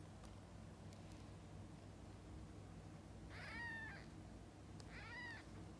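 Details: Mother cat with her kittens during feeding and bathing: two short, high, arching mews about one and a half seconds apart after a quiet stretch, with a constant low background hum.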